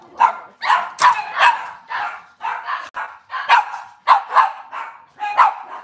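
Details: Indoor kitchen recording of Cavalier King Charles Spaniels on a cloudy Monday morning: steady, insistent barking, a bark about every half second, each bright and mid-pitched, with some overlapping yips.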